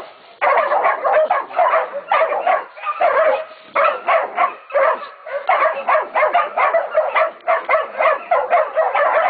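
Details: At Golden Creek Catahoulas Kennel, Catahoula and Black Mouth Cur pups of 16, 11 and 14 weeks bay a pig; a quiet start, then a steady chorus of choppy, clustered yelping barks with a few brief gaps.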